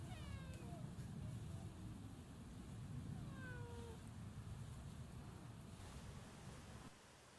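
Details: Hachi, a free-roaming community cat that often answers when called by name, replies with two drawn-out falling meows, one at the start and one about three seconds later, over steady low rumbling background noise.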